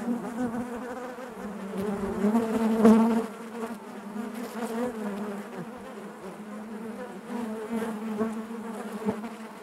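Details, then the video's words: Honey bees humming inside their hive: a low, layered drone that swells to a loud, wavering buzz around three seconds as a bee comes close, then settles to an even murmur. "bees therapy hive natural buzzing sound"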